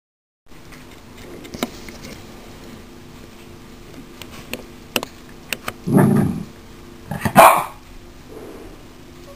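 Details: Five-week-old Yorkshire Terrier puppies from Abby's 2014 litter, indoors: soft scattered ticks and rustles, then a low broadband burst and a sharper yip near the end, with a fainter sound trailing after.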